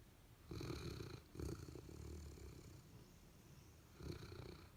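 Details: Sleeping, dreaming pet dog, one of a Golden Retriever and a Labrador, snoring indoors: soft, low rumbling breaths in three bursts with quiet gaps, faint and close.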